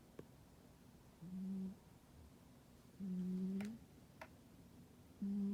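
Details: Deeply sleeping domestic cat indoors in winter, producing flat, low humming snores that lift slightly at the end, spaced about every two seconds, with a couple of sharp clicks between breaths.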